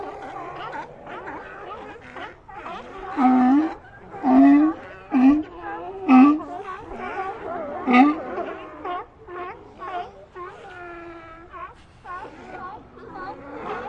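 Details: Sea lions vocalizing, with five loud, clipped barks about one second apart in the middle, followed by a drawn-out harmonic wail and softer background calls.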